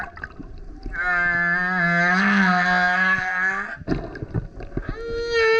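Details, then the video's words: Loud song of a male humpback whale coming up next to a kayak, a sustained rich harmonic howl lasting nearly three seconds, followed by gurgling water and a short rising tonal note. "Singing Whale is LOUD - BURPS, GRUNTS, HOWLS + ROARS! Listen as he comes up singing next to kayak"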